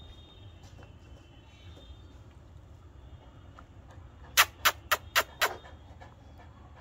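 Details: A quiet room with a low steady hum, then a burst of five sharp, evenly spaced clicks or taps near the end, with no animal voice.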